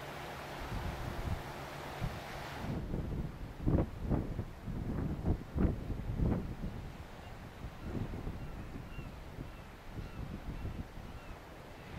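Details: Only wind buffeting the microphone is heard, with a few louder gusts and a low rumble and no animal calls.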